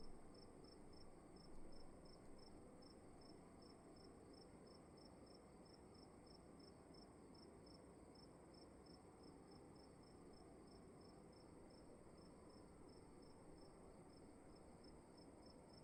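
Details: Crickets chirping inside a room, a steady run of short, high, even chirps about two or three per second over a constant low hum and faint high whine, with a soft thump early on.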